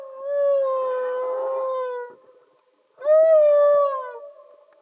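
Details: Two long, mournful, slightly falling wails from a singing humpback whale underwater, each about two seconds long, separated by a short silence, clean with no other sounds.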